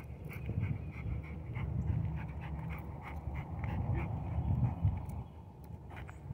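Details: Koby the Rottweiler during day two of basic obedience training, panting in quick rhythmic breaths, about four per second, over a steady low background rumble.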